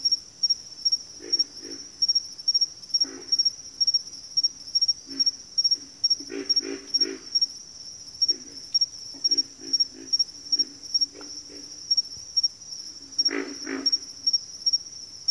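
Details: Frogs calling in a backwater chorus: low, rough grunts come singly and in bursts of three or four, loudest near the end, over a constant shrill high-pitched whine that pulses steadily about twice a second.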